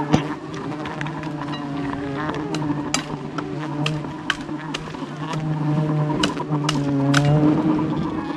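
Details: Violent swarm of wild bees attacking a honey hunter during a dangerous jungle climb, a thick, unbroken low buzz that slowly builds in loudness, broken by sharp taps and knocks.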